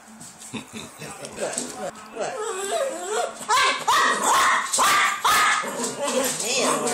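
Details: Female Dachshund sitting at the table, begging her owners for pasta: drawn-out, wavering whines that rise and fall, clearest in a run of vocalizations midway, mixed with people talking.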